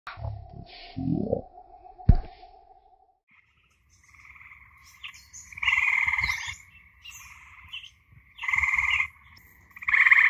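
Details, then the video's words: Eastern Gray Treefrogs near a forest pond in northeastern Ohio after dark. After a few seconds of handling thumps, a chorus of buzzy trills arrives in bursts of about a second, repeating every two to three seconds. "i'm here near a pond in northern ohio that sound you hear is eastern gray tree frogs and since we're in northern ohio"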